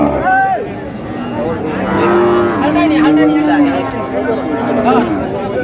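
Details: Cows at the Aftabganj cattle market on 9 May, lean bony dairy cows up for sale. A drawn-out low moo rises out of the crowd noise, with men bargaining over prices loudly throughout.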